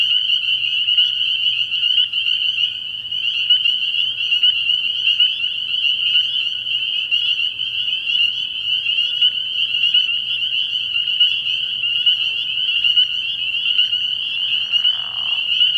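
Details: Dense nighttime chorus of spring peepers at a frog pond early in the year, a continuous high shrill whistling with little change in level, a faint low hum, and a short lower rasp near the end.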